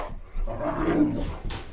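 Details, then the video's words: Boxer dog indoors, one of two boxers (Roxy and Jackson) excited by a flashlight, gives a brief drawn-out whining vocalization lasting about a second, with faint room noise around it. "Boxer dogs gone crazy over flashlight"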